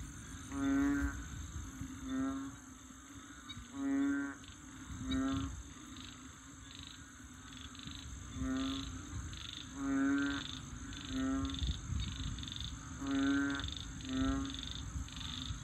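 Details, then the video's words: Frogs in Bình Quới on the Thanh Đa peninsula, Ho Chi Minh City, a near-rural wetland: several croaking calls with a rich buzzy tone in irregular bursts, some doubled, over a steady high insect whine. "Frogs Singing In Saigon"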